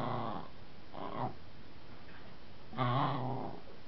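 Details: Marley, a pet dog, playfully barking and growling at a wooden baseball bat indoors: three short, rough, low growling bursts about a second apart, the last one loudest.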